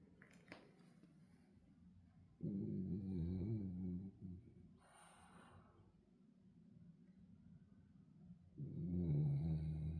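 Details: Sleeping French Bulldog snoring: two loud, rasping, low droning snores, each lasting one to two seconds, separated by quiet breathing and a faint hiss.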